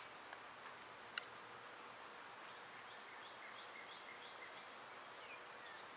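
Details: Summer cicada chorus as a loud, constant shrill hiss that holds an even level throughout, with a few soft, quick bird chirps and a single faint tick.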